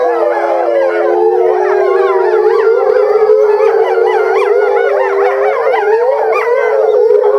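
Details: Eastern timber wolves of one family at Higashiyama Zoo, Japan, filmed February 2012 in breeding season; a steady low howl held throughout while higher voices weave wavering, yodelling howls above it, unbroken for the whole stretch.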